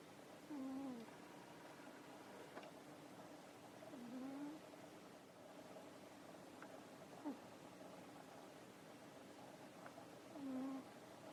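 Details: Nekoyanagi, a pet cat asleep after dinner and tired from play, snoring: soft low whistled tones, some wavering, some rising, recurring about every three to four seconds over a steady background hiss.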